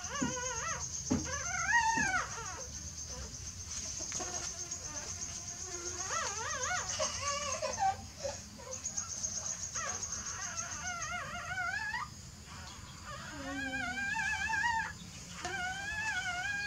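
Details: Newborn puppies stir in their sleep, repeating many short squeaky whines and wavering yelps in irregular clusters, some rising and then falling in pitch, alongside light rustling and a faint continuous high hum.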